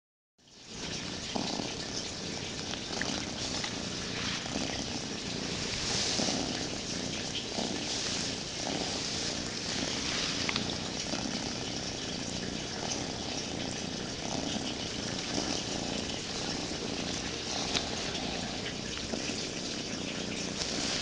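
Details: Cats cuddling with each other purr in a steady, rough rumble lasting the whole stretch, a dense continuous texture with soft rhythmic pulses and a faint hiss over it.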